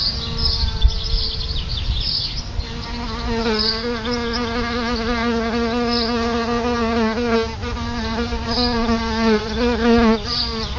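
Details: Outside a house, solitary bees hover around a nest beside the front door, giving a continuous low buzzing hum that wobbles gently in pitch and grows fuller after the first few seconds. Scattered faint high chirps sound in the background.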